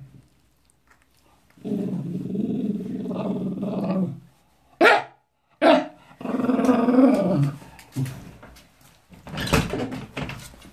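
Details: Wire-haired fox terrier objecting to a towel wiping his paws after a walk: sustained rumbling growls, two sharp yelping snaps in between, then a harsher, louder growl and faint rustling.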